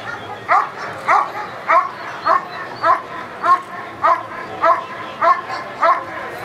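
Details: Dog Eran von Houthrack during protection work at the NIAK 2014 trial: forceful, evenly spaced barks about every 0.6 seconds, roughly a hundred a minute, each bark bright and harmonic with a slight upward sweep, over faint background noise.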